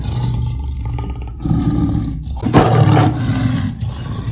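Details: Deep leopard growl, a continuous low rumble that swells in waves, with a harsher, louder rasping burst in the middle resembling a revving motor.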